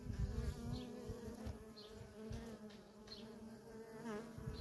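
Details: Constant busy hum of worker honey bees coming and going at a feral colony, a deep buzzing drone with rich overtones and rapid, irregular surges as individual bees fly close.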